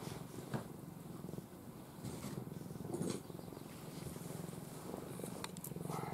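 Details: An affectionate cat named Ai dozes in her owner's arms and keeps up a continuous low purr, an even rapid rumble. Faint soft rustles break through now and then.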